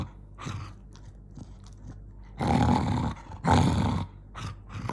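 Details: Angry growling from Jonggi the dog: quiet, scattered rumbles at first, then two loud, harsh, low growls in the second half, the first longer than the second.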